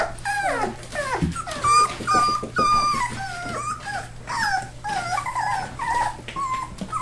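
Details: Four-week-old rescue puppies, a Labrador and hound mix, whimpering indoors in Maryland: many overlapping high whining yelps and squeaks, some sliding downward, from several pups calling continuously, with a steady low electrical hum.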